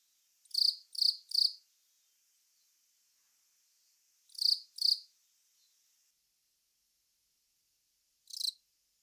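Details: Loud, clear chirps from the long-mouthed cricket Velarifictous aspersus, in a group of three, then a pair, then one, separated by silence.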